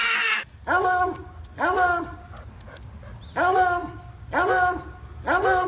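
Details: Pet dog giving repeated short, yodel-like howling barks, each a rising-then-falling wavering cry, about five bursts in quick succession, with a person's voice between them.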